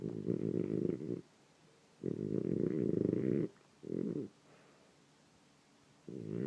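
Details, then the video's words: Morning snoring from a sleeping French Bulldog, with harsh, buzzy, rattling breaths of uneven length, some long and some brief, divided by silent pauses. "Sleeping snoring French bulldog"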